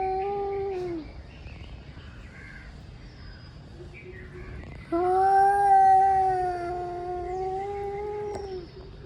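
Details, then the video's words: Male cats growing angry as they warm up to fight: a falling, moaning yowl fades after a second, a quieter stretch follows, then a louder, long wavering howl rises and holds for about three and a half seconds. "Angry male cats warming up for fighting"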